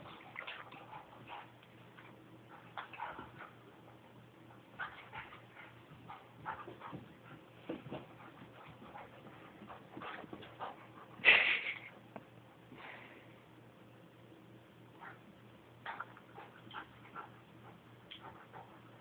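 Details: A Border Collie and a Parson Russell Terrier playing together indoors; soft, faint whimpers and yips over steady clicking and scuffling, with one louder, sharp yelp about halfway through.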